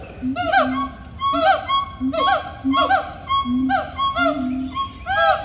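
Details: Loud monkeys in Animal Kingdom calling in regular bursts, about two a second at times. Each burst pairs a low droning hoot with bright, upward-curving whoops, repeated steadily for over five seconds.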